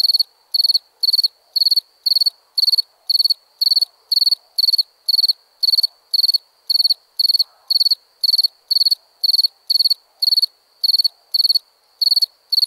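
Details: Crickets chirping at night: a long, unbroken series of high, ringing pulsed chirps, each four or five pulses long, recurring about twice per second with steady rhythm.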